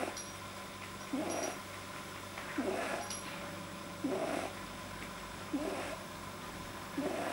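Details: Relaxed pet rabbit, whose vet suspected an overlong soft palate, recorded 9 January 2010: brief raspy grunting snorts about every 1.5 seconds, evenly spaced, with a few faint high clicks and a steady electrical hum.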